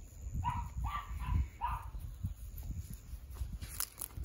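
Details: At the height of excitement, Yoichi, a male tricolour Cavalier King Charles Spaniel from Fukuoka, Japan, lets out four quick nasal, meow-like cries in about two seconds, followed by quieter rustling and a faint click.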